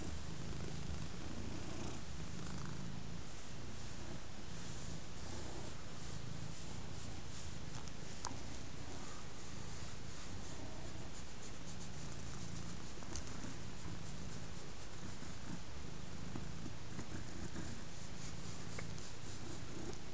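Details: Large black domestic cat lying contentedly on a rug while being scratched, purring continuously: a steady low rumbling pulse that rises and falls with each breath for the whole recording, in a quiet indoor room.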